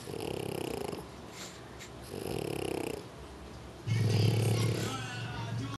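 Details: A French Bulldog snores in deep, rasping bursts, each about a second long, with short pauses between, during an afternoon nap in his favourite napping position.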